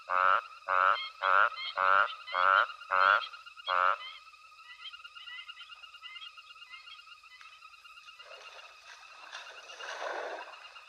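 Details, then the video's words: Frog chorus at night at Hwange Safari Lodge, elephants foraging nearby: seven loud raspy croaks in a regular series over four seconds, followed by quieter high trills and soft rustling background noise. "Frog Chorus"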